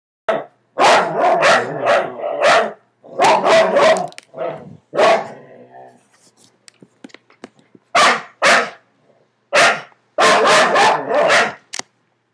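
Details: Several dogs barking at each other from under a bed indoors, loud harsh barks in bursts of three to four with short pauses, a growly stretch in the middle, then more rapid barking.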